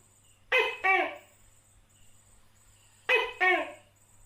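A Tokay gecko calls in loud, throaty two-syllable phrases, "to-kay", each pair spaced a couple of seconds apart. A faint, steady high-pitched insect-like buzz and a low hum run underneath.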